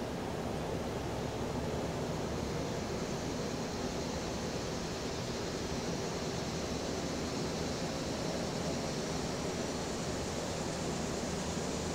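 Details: Steady broadband wind noise with distant traffic rumble and no distinct animal calls.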